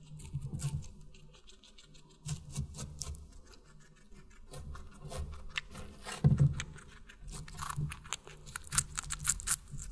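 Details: Guinea pig feeding on watermelon: quick bursts of juicy crunching alternate with brief quieter gaps, a loud crisp bite just past the midpoint, and dense clicking nibbles at the close.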